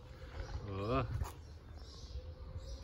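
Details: Stray cat in Istanbul, a mother tending and licking her kittens, gives a single rising, harmonic meow of about half a second, surrounded by a woman speaking softly in Turkish over low background rumble.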